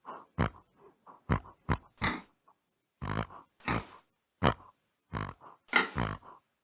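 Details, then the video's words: Pig giving short, gruff grunts in uneven bursts, a few loud snorts followed by softer low grunts, with brief silent gaps between them in a quiet indoor setting. "Pig Says. Pig Makes Funny Noises. Pig Sounds. Learn The Sound A Pig Makes"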